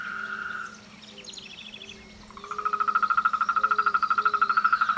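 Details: Frog singing in a group chorus at mating and courtship time: a brief trill, a quieter pause with soft low notes, then a loud, rapidly pulsed trill of about fourteen beats per second that holds to the end.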